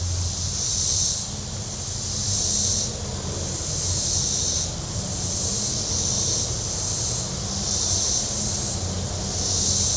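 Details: On a hot Saturday at Table Rock Lake, southern Missouri, shoreline cicadas give a dense, sizzling buzz that rises and falls in regular waves roughly every two seconds, with rumbling boat motors below.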